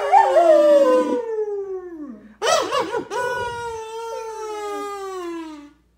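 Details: German Shepherd dog excited over a kids' kazoo toy, giving long high whines that slide downward, then a burst of yips and a sustained wavering whine fading at the end.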